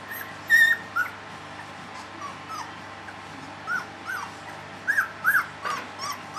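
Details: Three-week-old puppies whimpering: thin, high, rising and falling squeaks come singly and in small clusters over a steady low background hum.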